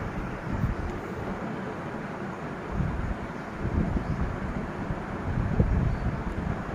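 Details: Steady low rumbling noise like wind or a passing vehicle fills the recording, with no animal voice heard.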